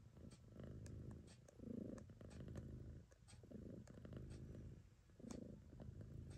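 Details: Mother cat Choo-Choo Kitty purrs as her kittens feed, a deep rumbling purr swelling and fading with each breath about every two seconds, soft suckling clicks above.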